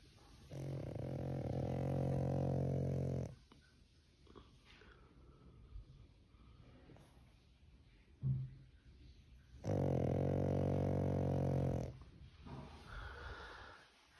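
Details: {'caption': 'A sleeping pug snores in two long, loud, rumbling, droning bursts of about two to three seconds each, separated by quieter breathing and small shuffling noises indoors.'}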